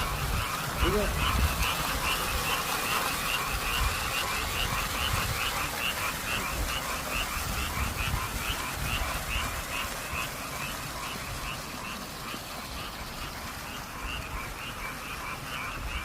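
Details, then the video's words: Spring-night frog chorus echoing around apartment buildings in Korea, a continuous stream of fast, regular croaks, roughly two per second, with a brief faint human voice near the start and low rumbling background. "밤새도록 아파트에 울려퍼지는. 개굴개굴. 개구리소리 덕분에 행복해지는 봄밤"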